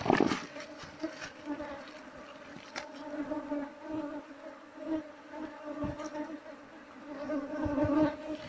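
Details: Wild Asian honey bees (Apis cerana) at a wild hive being harvested, a species described as mostly aggressive and stinging when the nest is disturbed; steady low droning hum with layered overtones, swelling and fading, with brief knocks and rustles.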